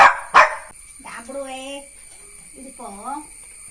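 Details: Jack Russell Terrier puppy Neo lets out two sharp barks, then drawn-out whiny, wavering vocal sounds, rising and falling in pitch; a human voice is also present.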